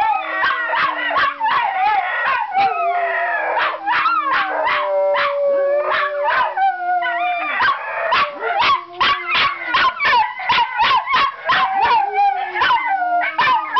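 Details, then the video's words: Pet Miniature Schnauzers howl and yelp on seeing their owner coming home. Long wavering howls slide downward beneath a fast stream of sharp, high yelps, several dogs calling together almost without a break. "Howling Schnauzers"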